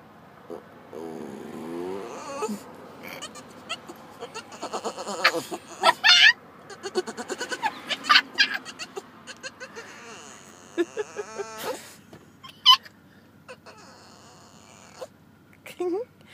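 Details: Bruce, a year-and-a-half-old Boston Terrier, gives wavering, goat-like bleating whines and high squeaks on seeing a dog across the street he wants to play with, with people laughing nearby.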